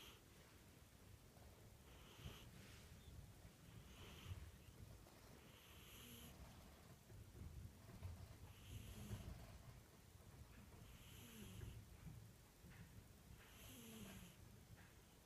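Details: Cat snoring, a steady train of soft hissing breaths roughly every two seconds with faint whistling glides, over a low continuous rumble.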